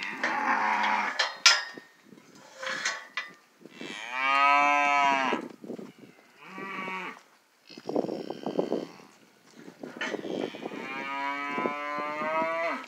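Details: Several Charolais calves on Rancho Santa Teresa, China, Nuevo León, mooing in quick succession: loud, rich bawling calls with rising and falling pitch, some short and clipped, others long and bending, with faint clanks between calls.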